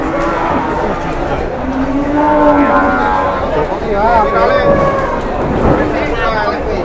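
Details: Jumbo cattle at a crowded livestock market in Indonesia, taken around for sale; low, drawn-out moos rise briefly through loud overlapping human chatter and market noise.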